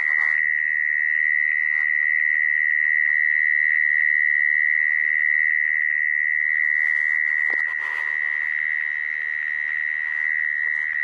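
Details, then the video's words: Continuous high, even trill of a mole cricket, a sound used to lure crickets into traps; the buzz stays loud and level, with brief clicks and handling noises near the start and around the eighth second. "Tiếng dế dũi dùng để bẫy"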